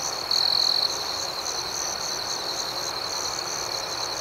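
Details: Crickets at night in a calm outdoor setting give a rapid, rhythmic high chirping, opening with one louder, sustained burst before settling into a steady pulsing drone.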